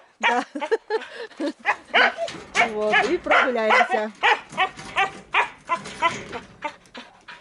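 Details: A female Siberian husky in a village, which howls every night during what the owner calls her special period, gives a run of wavering, yodelling howls and whines that rise and fall in pitch.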